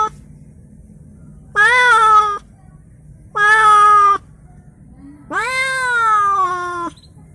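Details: A newly received cat, given as a gift and kept for now in a small cage indoors, crying: three loud, drawn-out meows, each about a second long, the last one longest and slightly falling, with quiet pauses between.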